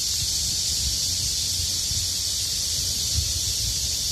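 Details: Midsummer cicada chorus in the heat, a continuous shrill buzz of many insects blended into one steady sheet of sound, with faint low rumbling underneath.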